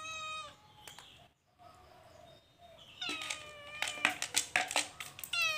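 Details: Calico cat in a cage, stealing food, meowing; a clear high meow opens, then quieter rustling, followed by a burst of rapid repeated short meows mixed with sharp clattering and scraping noises, ending on another tonal meow.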